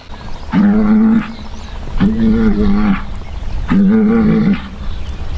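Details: Polish white-backed bull at Radolinek giving three loud, deep, harmonic bellows, each lasting under a second and spaced roughly a second apart, with steady low outdoor rumble underneath.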